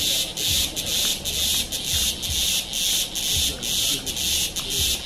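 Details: Cicada in India's Kodaikanal and Thekkady area, 2014: an intense high buzzing swells and fades in regular pulses about twice a second, with soft low thumps beneath.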